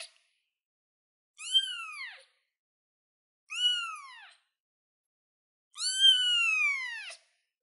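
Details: Three high kitten meows from a young cat on a chair, each arching and falling in pitch, the last one longer and louder.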